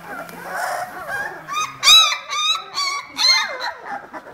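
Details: Vizsla puppies, 18 days old, from litter "B" of the Ariadnina nit kennel, giving high, thin whimpers and squeaks that rise and fall in short bursts of about half a second, with soft rustling between them.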